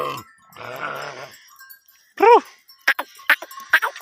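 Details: A sheep in a herd during mating gives a short, quavering bleat, with rougher buzzy calls and sharp knocks around it.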